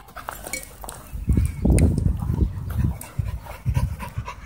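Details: Husky playing with other dogs at a dog park, giving low rumbling play growls in uneven bursts with huffing breaths, strongest midway through, while other dogs scuffle nearby.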